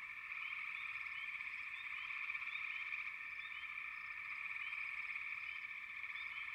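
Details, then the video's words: A dense chorus of frogs makes a continuous high, buzzing drone. Quick upward-sliding chirps recur several times a second above it. The chorus stays steady in loudness throughout. "Frogs, лягушки"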